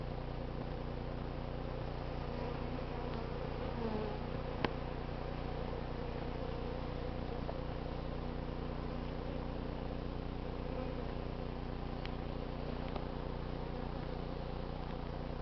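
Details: Honey bees in a crowded hive of 11 combs being cut out of a barbecue in unseasonably cool late summer; a steady, low droning hum of many bees runs throughout, with a few faint clicks and taps.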